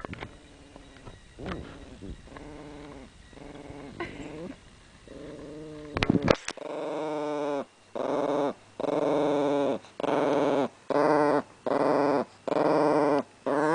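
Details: A female chihuahua named Chili defends her bone and treats with a low, tonal growl. Faint uneven rumbles early on give way to steady, evenly spaced growls of roughly one per second.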